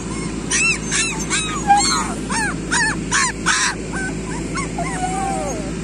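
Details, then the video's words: A litter of street dog puppies squeals in quick repeated yelps, about two per second, then trails into drawn-out wavering whines, with constant low hum behind. "street dog puppies"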